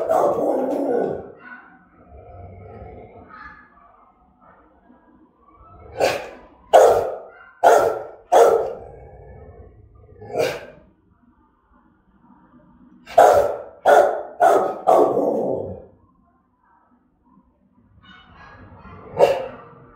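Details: Rottweiler giving threatening, aggressive barks, sharp loud barks in two clusters of rapid repeats separated by pauses, with softer grumbling and whining sounds between bursts.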